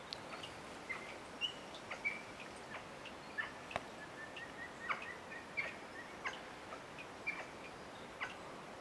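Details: Capuchin monkey arriving unexpectedly, giving quick high chirps in an irregular series of about a dozen notes, some paired, over a steady background hiss.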